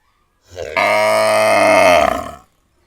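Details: A cow gives one long, steady, harmonic moo lasting about two seconds. It starts low, swells suddenly into a full, rich tone, holds level, then fades out, with silence before and after.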